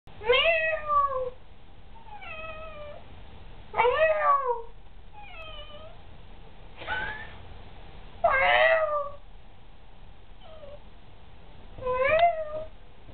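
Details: Sally, a talkative pet cat, meows back and forth as if in conversation with her owner indoors: five loud, wavering, bending meows, each about half a second long, come every few seconds, with softer short mews in between.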